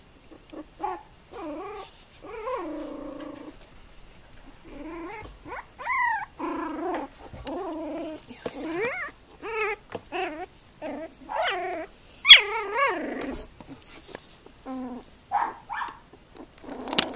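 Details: Female Tibetan terrier, Tingsha Bells Chili con Cane, born 2 November 2015, indoors. She gives a near-continuous run of whining, moaning vocalizations, each with bending, rising and falling harmonic tones, broken by short pauses over seventeen seconds.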